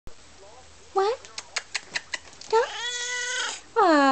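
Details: Male domestic cat, with his owner since August 1997, answering as she asks him to talk indoors: a few short meows, then a long drawn-out wavering meow and a final rising meow, with soft clicks and the owner's voice nearby.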